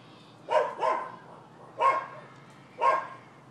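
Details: Dogs next door barking at a Florida home, 12/7/15, in what is described as a nuisance. A quick double bark is followed by two single, throaty barks about a second apart over steady low background hum.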